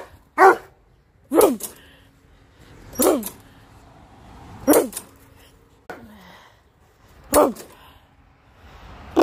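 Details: Rhodesian Ridgeback barking at a lawn mower it dislikes. Six sharp, harsh barks arrive about every one and a half seconds, with a steady low engine hum running underneath.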